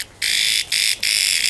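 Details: Cicada, locally called garengpung, in forest at Pangalengan, Bandung, Indonesia, calling when threatened; loud harsh buzzing in three bursts separated by brief gaps, the last one sustained.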